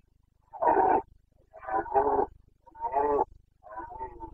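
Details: Carpathian red deer stag roaring during the breeding season in the Bucovina mountains, Romania, 29 September 2022; four loud, harsh, grunting roar bursts, each roughly half a second long, following one another about every second.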